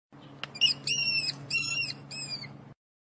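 A mouse gives a few thin, high squeaks over a low background hum.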